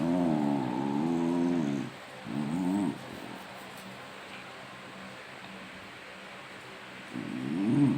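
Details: Pet dogs teasing each other with odd growling noises; long, wavering, moaning growls with a tonal quality, a two-second one followed by a shorter burst, then a pause and a rising growl at the end.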